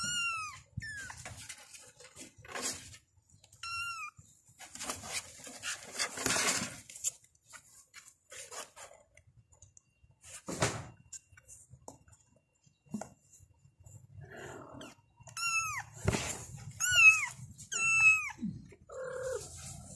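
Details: Kittens meowing for their mother: short high mews in sparse bursts, separated by clatters, knocks and rustling noise.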